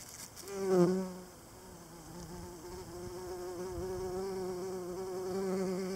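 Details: Pollinator foraging for pollen in the evening, heard as a deep harmonic wingbeat hum that peaks sharply as the insect flies past, then continues as an even, gently wobbling drone that slowly grows louder.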